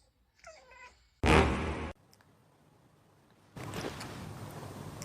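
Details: Domestic cat making an unusual, improper meow: a faint, wavering, tonal mew under a second long, then a loud, harsh, rasping burst lasting about 0.7 seconds, followed by quiet, then steady broadband noise filling the final stretch.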